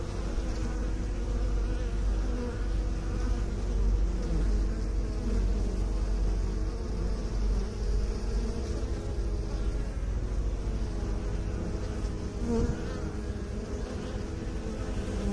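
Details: Bee drone from beekeeping, a sustained low hum with shifting harmonic layers, swelling slightly around four seconds and showing faint higher whines late on.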